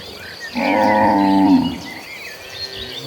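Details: A cow in an agitated herd of cattle running toward green pastures gives a single loud, drawn-out moo lasting about a second, rich and harmonic.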